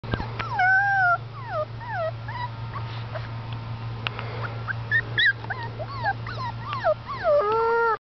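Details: Six-week-old puppy howling: a run of short, wavering, yelping howls, some rising then falling, repeated roughly every half second to second, with a steady low hum underneath.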